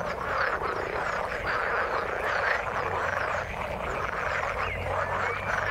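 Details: Croaking frogs in the water form a steady dense chorus of trilled, rattling calls, a low drone in the background and a thin rising whistle-like note near the end.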